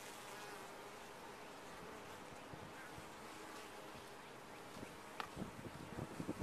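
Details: Steady low drone of honey bees in a top-bar hive, even for most of the stretch, then a run of sharp knocks and bumps in the final second and a half.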